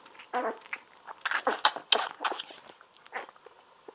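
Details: Golden Retriever puppies, 17 days old, lying on their backs indoors while drinking milk from a baby bottle; quick wet smacking and sucking bursts with short squeaky grunts, irregular and close-up.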